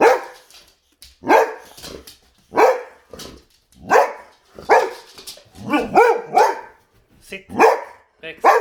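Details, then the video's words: Indoors, Boxer dogs bark at a vacuum cleaner, loud single barks spaced roughly a second apart, with a brief double bark in the middle, over several seconds; a person's voice mixes faintly with the barking. "Boxer Dogs Vs Vacuum Cleaner!"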